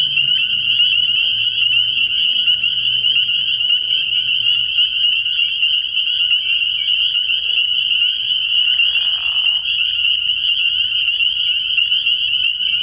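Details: Chorus of many spring peepers at a frogpond at night early in the year: a dense, unbroken high-pitched band of overlapping peeps, with a faint low hum early on and a brief softer rasp near the ninth second.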